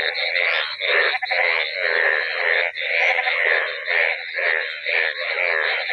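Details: After one night of heavy rain ending a long hot spell, many yellow frogs float in flooded village fields, their dense chorus of overlapping croaks merging into a steady, throbbing, monsoon-like roar.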